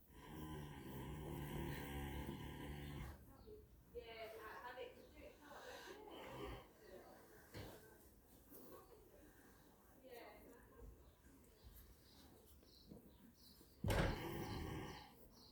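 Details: Daikin the horse snores while asleep after a hard day eating in the field: a low, buzzy, harmonic-rich rumble fills the first three seconds, followed by softer irregular breathing, a voice speaking, and a sharp knock near the end.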